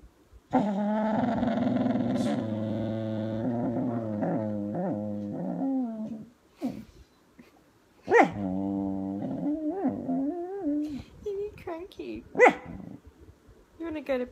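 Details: Kelpie dog, a female, cranky and wanting to go to bed, makes a long, drawn-out groaning grumble with wavering pitch, rising and falling whines in a Chewbacca-like voice, then a second shorter moan; a person talks to her in between.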